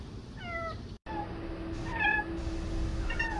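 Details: Legless kitten, newly adopted, making thin, high meows that slide downward, three short calls spread across a few seconds over a steady low indoor hum.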